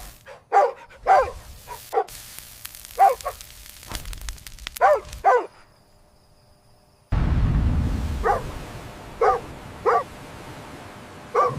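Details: Puppies playing happily with baby rabbits outdoors on green grass give sharp, squeaky barks in small clusters, and after an abrupt cut, isolated yaps sound over a steady low rumble.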